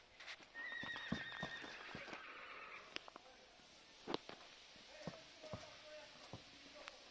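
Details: A stallion from Poland, born in 2021 and standing 1.62–1.63 m at the withers, gives a high, tonal whinny that wavers and slides slightly downward for about two seconds, followed by sharp knocks and clicks and men talking.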